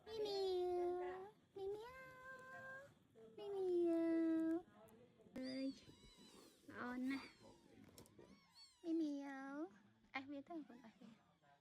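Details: Mother cat on a farm, moving her very young kittens one by one after they were placed together; loud drawn-out meows, some falling in pitch, repeated every couple of seconds, with soft human voices in between.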